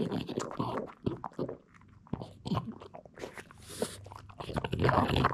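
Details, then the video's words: Hiro, a Boston Terrier, breaks hard duck-bone treats indoors: loud, rapid crackling crunches in quick bursts, a short lull near the middle, then dense snapping bites resuming toward the end. "Mood for food, Dog eating dog treats, Dog asmr, Cute dog eating food, Boston terrier video"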